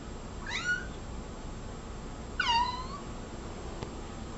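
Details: Domestic cat meowing nonstop indoors: two drawn-out meows about two seconds apart, the first rising and short, the second a longer whining call that slides downward and trails off; faint steady room hum behind.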